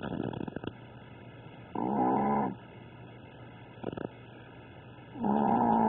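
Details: A sleeping Chihuahua snoring, said to be louder than a pitbull: two long, rasping inhaled snores, each under a second, separated by quiet breathing in an otherwise still room.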